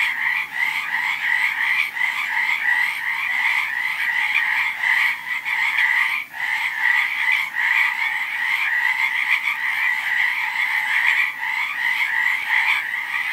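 A dense frog chorus of rapid, raspy trilling croaks that carries on without pause.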